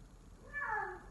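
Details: Single call from an F4 silver Savannah cat, a male named Sittingpretty Solmonath, described as calling like a lion: a short meow-like tone that swells and then slides downward, over faint room hiss.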